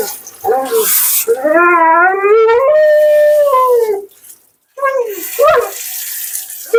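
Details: Mila, a dramatic, talkative female Siberian Husky at her second-ever groom, vocalising during a bath and blowout: long, wavering, harmonic howl-like moans that rise and bend, a short pause, then a fresh rising whine.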